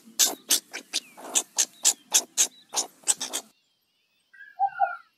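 Meerkat giving a quick run of harsh, noisy chirps, several each second, then a few softer notes.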